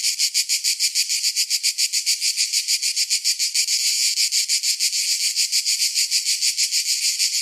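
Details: Summer cicadas sing a loud, hissing buzz that pulses steadily about three to four times a second.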